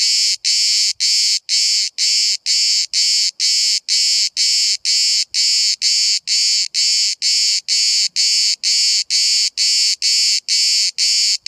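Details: A single cicada filmed from 5 cm away at Bodrum, Turkey, where hundreds sing all day: loud, harsh buzzing pulses, each about a third of a second, repeated steadily roughly twice per second with brief gaps.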